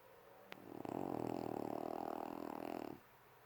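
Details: Sleeping puppy snoring in one drawn-out breath of about two seconds, a low rough rattling sound pulsing rapidly, after a brief click.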